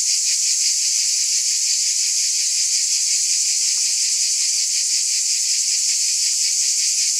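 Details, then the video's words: Cicada chorus heard as a constant, sizzling high-pitched buzz with faint quick pulsations, even loudness and no other animals or background sounds. "Scintillating Cicadas"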